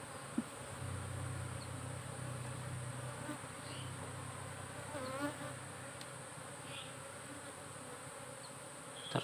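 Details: Honey bees of a cultivated colony in a hive box, monitored by a SAMS smart apiculture system: a steady, droning hum with low tones and a band higher up, and a faint voice-like murmur around the middle.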